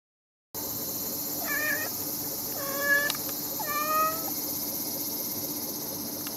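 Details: Hungry stray brown tabby kitten approaching near a house, meowing three times in about two seconds; each meow is a short, rising-then-falling cry with clear harmonics, over a steady background hiss.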